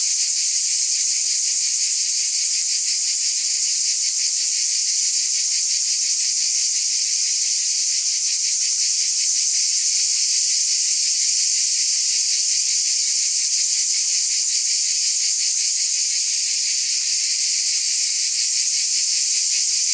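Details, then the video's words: Cicada chorus producing a relentless high-pitched electric buzz, pulsing rapidly about three times a second, constant loudness over twenty seconds, no other sounds. "Scintillating Cicadas 1 hour White Noise"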